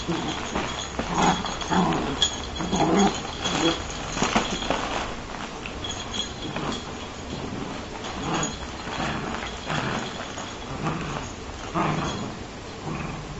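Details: A dachshund that likes to bite growls in rough, throaty bursts in an uneven rhythm while its owner tells it no.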